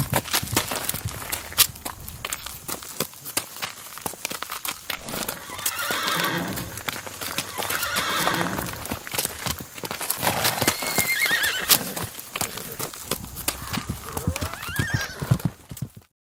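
An Icelandic horse neighs with soft, wavering whinnies over a steady clatter of hooves.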